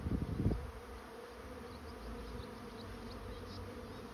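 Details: Honey bees of a swarm moving into a trap, opening with a loud rumbling crackle of close bees or handling, then settling into a constant low humming drone.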